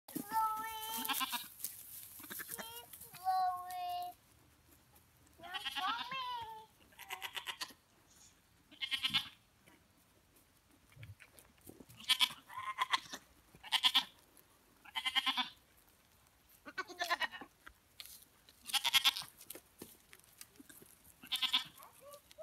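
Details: Domestic goats kept by a child who plays with them; wavering, pulsed bleats come in short bursts every couple of seconds through the second half, after higher drawn-out vocal calls in the opening seconds.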